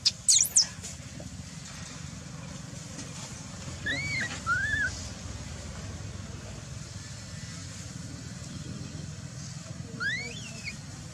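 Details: Ignored by mother Dolly, the baby macaque Dalton wails from the ground in short high curved cries, a pair in the middle and one more near the end, over steady low background hum.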